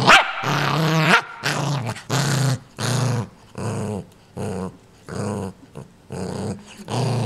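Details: Pet dog Ninja guarding a new toy, wanting nobody near it: low rumbling growls in bursts about every half second to second, with a sharper yelp-like onset at the start, indoors.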